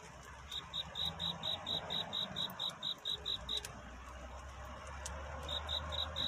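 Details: Night courtship song of a cricket seeking a mate: a run of bright, high, regularly spaced chirps, then a brief silence of over a second, then the pulsing chirps return, over faint low hum.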